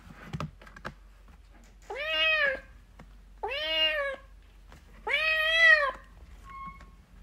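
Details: Playing, fighting kittens in a quiet room: three clear, sustained meows, each arched and about half a second to a second long, spaced about a second and a half apart, with a faint tap early on.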